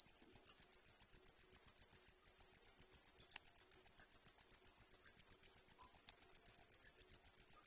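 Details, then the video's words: Continuous high-pitched cricket chirps repeat in a quick, metronome-like rhythm, with a brief dip in loudness near the two-second mark and faint ticks in the background. "Sound of Crickets"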